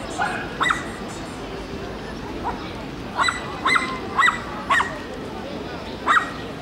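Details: Shelties and papillons communicating with each other indoors: short high yips and squeaky barks in bursts, several clustered around the middle and end, with a human voice faintly present.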